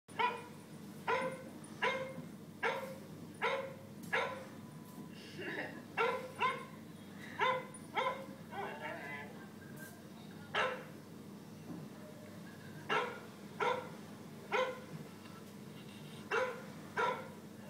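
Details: Pet cocker spaniel indoors barking at a dog shown on an iPad: short sharp barks in irregular bursts, some quick doubles and triples, around twenty over the stretch, with a faint low hum beneath.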